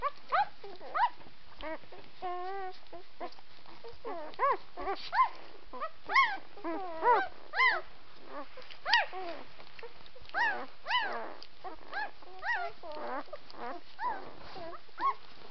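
White Swiss Shepherd puppies whine and yelp in a busy, overlapping chorus of high, wavering cries.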